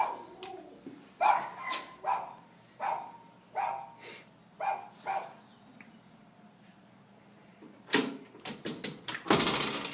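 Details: Indoor household poodle and papillon problem barking before training: a run of sharp barks roughly every second, then a thud and rattling near the end.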